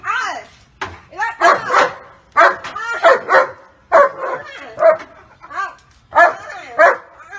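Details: Loyal German Shepherd Walcott defending his owner against a staged attack, giving rapid bursts of high, arched barks and yips, nearly two per second, interleaved with people speaking loudly.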